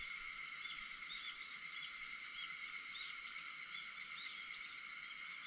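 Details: Cicada song at 4:50 in the morning on August 4: an even, sustained high buzz, overlaid by a few faint, brief chirping notes.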